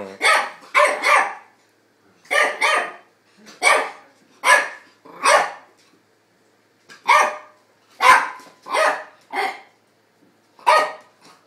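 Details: Two dogs at play: Tony, a two-year-old Chihuahua, and Dexter, an eight-week-old English Staffordshire pup. Sharp, yappy barks come in short bursts of two or three, about fourteen in all, with quiet gaps between.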